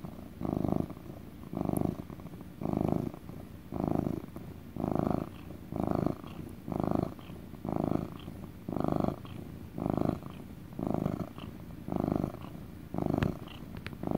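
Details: Contented domestic cat in a relaxing motor purr, recorded up close indoors: steady rumbling pulses near once a second, loud exhalations alternating with softer intakes, with a few faint clicks in the background.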